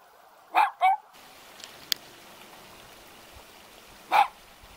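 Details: Two cute dogs stand guard at a house in the mountains near Jeonju, North Jeolla Province, Korea. One sharp double bark sounds early, then a single bark about three seconds later, with quiet background between.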